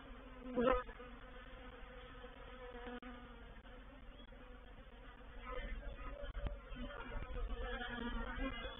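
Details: Honey bee reproductive swarm moving into a bait hive, Painted Peacock Manor, 04/07/21; a steady background hum broken by loud close fly-bys of single bees near the start and later, with the buzz swelling toward the end.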